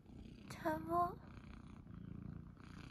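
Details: Munchkin kitten on its owner's belly in the morning, purring; a short rising meow-like voice rings out near the start, then a gentle, rapid low purr rattles on steadily to the end.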